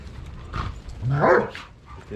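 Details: A dog from a pack feeding together on a deer carcass during a snowstorm, two winters back, gives one short yelping bark that rises and falls in pitch. Rustling and background noise surround it.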